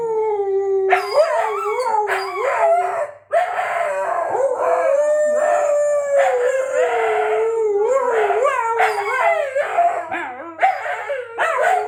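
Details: Siberian Huskies singing together, set off by a squeaky toy: a long continuous wavering howl holds throughout while other voices add rising yodels and bursts of yips over it.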